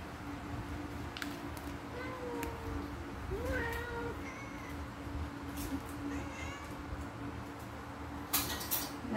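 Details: Domestic cats fighting while waiting for breakfast indoors; a few soft, wavering meows rise and fall, one sliding higher, over a constant low hum, with a brief clatter near the end.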